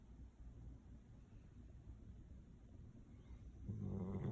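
Deep, rough snoring from a Golden Retriever rumbles along low and steady. Near the end the breath grows louder and more guttural, a buzzing snort.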